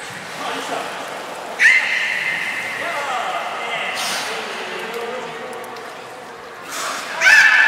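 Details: Port of Nagoya Public Aquarium belugas Nana and Niko in training, 7 October 2018. A sharp harmonic squeal starts, holds as a steady whine, and slowly falls away; another bright squeal breaks in at the end.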